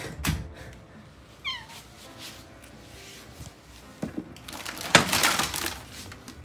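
A Maine Coon cat gives a short, falling meow to greet its owner, amid household clatter.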